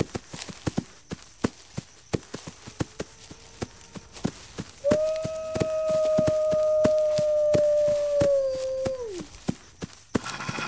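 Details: A lone wolf howl arrives after five seconds of steady clicking ticks: one long, even, smooth tone held about four seconds, ending in a quick downward slide, with the clicks continuing beneath.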